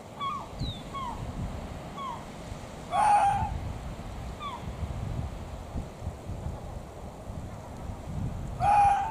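An Arctic fox lets out two loud, hoarse screams about six seconds apart, each a short rough burst with a strained tone. Faint high falling chirps and a constant low rush of wind or surf fill the gaps.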